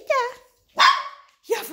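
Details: Labrador Retriever puppies answer a woman calling to them in German: two sharp high yapping barks with bright stacked overtones, each trailing off, plus a brief start of a third, between her repeated questions.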